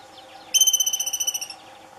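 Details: Two wild Franklin's ground squirrels fighting at Douglas Regional Park on July 30, 2018, around 8 in the morning: a single bright, pulsed whistled trill of about fourteen rapid beats lasting roughly one second, over faint background hum.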